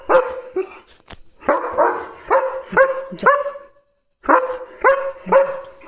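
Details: German Shepherd dog barking at night beside his grain sack, loud deep barks in uneven bursts of two or three, a short pause, then more barking, while a woman speaks to him in Marathi.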